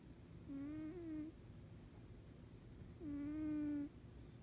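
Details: Sleeping cat snoring: two drawn-out, tonal, whistle-like nasal snores, each lasting under a second and spaced about two and a half seconds apart. A steady low hum sits beneath them.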